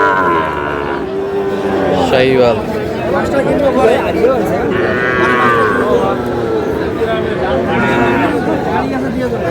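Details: Sahiwal bull calves at a busy Bangladeshi cattle market, February 2026: repeated long moos with harmonics rising and falling, several animals overlapping, amid constant crowd chatter and voices.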